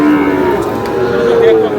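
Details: Sahiwal bull calves at a weekly cattle market in Dinajpur, Bangladesh, give a steady, drawn-out moo with a level tone, the pitch stepping up partway through, over crowd chatter and market noise.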